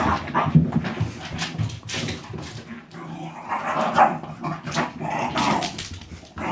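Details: Shiba Inu dogs, Koma and Shiromi, play-fighting indoors over a ball, biting at it as if for real but only playing; rough bursts of growling and short barks, loud and uneven, with scuffling throughout.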